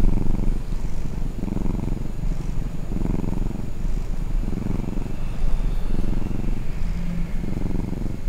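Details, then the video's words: Sleeping pet cat purring when roused, low buzzing rumble rising and falling in regular breath cycles about once per second, continuous and even with a soft airy hiss above. "打擾熟睡主子 貓咪呼嚕聲"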